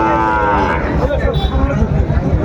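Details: Sahiwal bull calf at Ambari cattle market in Dinajpur, Bangladesh, on 21 March 2025, at the start of trading: a short, steady moo under a second long, then heavy low rumbling noise and men's voices haggling.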